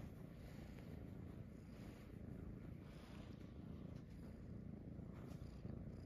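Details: Munchkin kittens, Pochakun and Chaabo among them, settle on a person's belly in the morning; a soft, steady low rumbling purr runs quietly through the whole stretch, with no other clear sounds.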